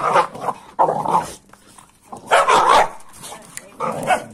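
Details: An American Staffordshire Terrier and a Kuvasz in rough play, giving loud, raspy growl-barks in four short bursts, separated by pauses of under a second.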